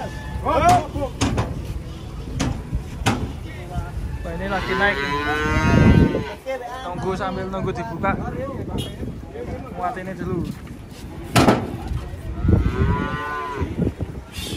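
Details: Cattle being unloaded from a truck, giving two deep, drawn-out moos with rich harmonics, separated by a stretch of sharp knocks and thumps.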